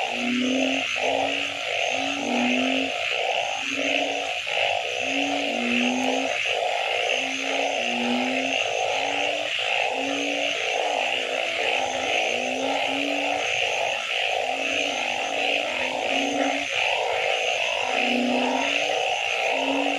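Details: Night-time frog chorus of various species, dense overlapping short tonal croaks and pulsed notes, many each second, beneath a constant high-pitched insect hum.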